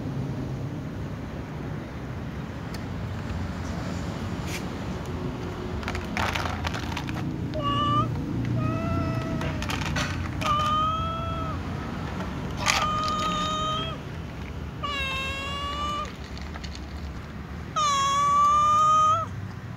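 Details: Ginger cat meowing furiously while waiting to be fed, other cats nearby; after a quiet, rumbling start, a run of about eight loud, drawn-out meows with rich harmonics, each rising then falling, over steady low background noise.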